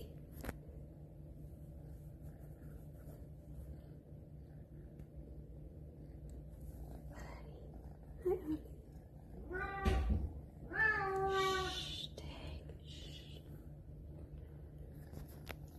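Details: Indoor pregnant female house cat giving a brief chirp, then a louder rising-and-falling meow followed by a long wavering one, over a constant low electrical hum and a woman's gentle voice.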